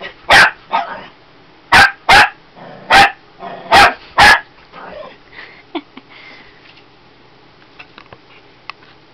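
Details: Shih Tzu puppy, a female, yapping at a bottle of lavender oil: two bursts of sharp high barks, then quiet with faint rustling and small clicks as the barking stops.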